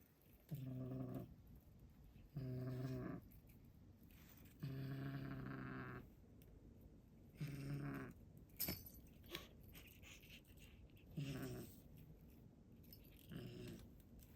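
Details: A rescue cat, possibly talking or angry, gives low, droning, harmonic growl-like calls, each about half a second to a second and a half long, repeated six times with short silent gaps between them.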